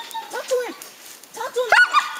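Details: Young coonhound barking up a tree at a treed raccoon on one of its first times treeing; two short bursts of yelping barks, a handler's voice urging the dog on nearby.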